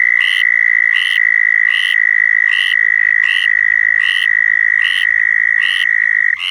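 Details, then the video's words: Mating call of southern toads in Florida: a loud, steady, high buzzing trill running throughout, overlaid by short repeated chirps roughly every 0.7 seconds from another caller. "Southern Toads Calling in Florida"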